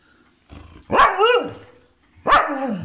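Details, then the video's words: A pet dog in India pleads to be let out for a walk with two high yelping barks. Each has a wavering, falling tail, and they are spaced about a second and a half apart. "My Dog 🐶 arguing with me to go out for walk"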